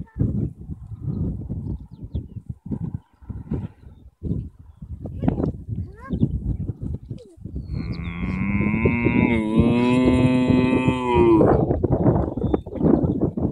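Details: Cows in a field in Ireland; after several seconds of low rustling, crunching noises, one long, full, steady moo lasts about four seconds, rising slightly before it breaks off, followed by more rustling.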